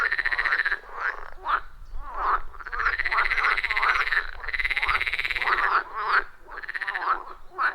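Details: Loud frog chorus around a wild pond deep in the forest, recorded with iPhone 14 Pro and Shure MV88+; long trilled, buzzy croaks lasting a second or more, alternating with short, bent notes from neighbouring callers.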